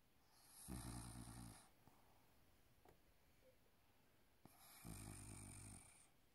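A Maine Coon cat snores in two deep, rattling breaths a few seconds apart.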